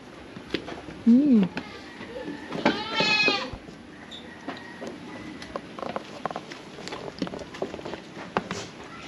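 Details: Farm-raised domestic goats, a lone young one described as growing big: one quavering, harmonic bleat of under a second rises above a man's talking, with rising-falling tones and scattered clicks.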